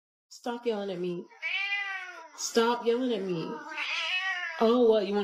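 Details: Jessie, a pet female house cat, yowls in an indoor room with wavering, drawn-out meows that rise and fall. Three long calls follow one another with barely a pause, while a woman's voice overlaps.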